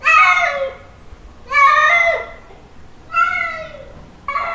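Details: Male cat calling a female during mating season: loud, strained, harmonic yowls that rise and then fall, three full calls with a fourth beginning, spaced about a second and a half apart.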